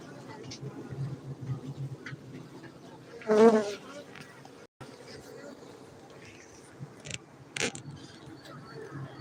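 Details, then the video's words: Honey bees kept for honey at a bee farm in Bener Meriah, Gayo, Aceh, Indonesia: a steady low droning hum runs throughout, with a brief louder rustling burst near the middle and a few sharp clicks. "Markaz lebah madu gayo Aceh Indonesia"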